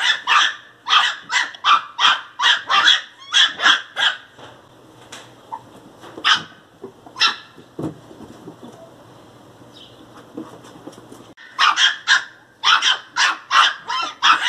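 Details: An angry pinscher puppy barks in sharp, high-pitched yaps, fired in rapid bursts of about eight, with a quieter gap of scattered single barks between the bursts.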